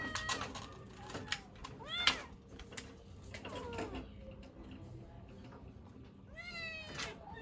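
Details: Pet kittens calling for their mother: a few short, thin, high meows rising then falling, spread through the recording with quiet gaps. Clicks and soft tapping noises sit between the calls.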